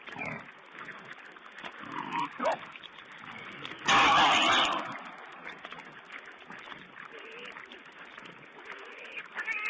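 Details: Wild boar piglets on a wild pig webcam, 16 April 2010: scattered short grunts and squeaky calls, one loud broad rasping burst in the middle, set against a steady hiss of muffled, low-quality streamed sound.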